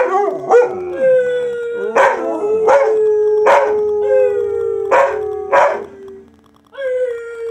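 A Siberian Husky gives drawn-out, wavering howls that hold a steady pitch and slide slightly downward. Abrupt barks punctuate the howling about every second or so, and a final rising howl closes the sequence.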